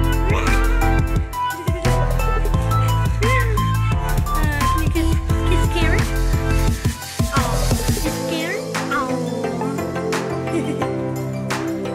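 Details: Loud electronic dance music with heavy bass and drums, and a voice mixed in, with no animal calls.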